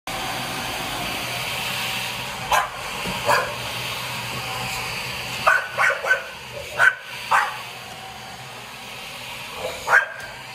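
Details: A female English Bulldog squaring off with a vacuum cleaner gives short, gruff barks in scattered bursts over the vacuum's steady roar.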